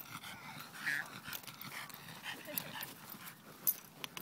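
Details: French Bulldog Mirco on a family outing to the mother's hometown, with his younger sister along; soft, rapid breathy panting throughout, a brief faint whine near the first second, and a sharp click near the end.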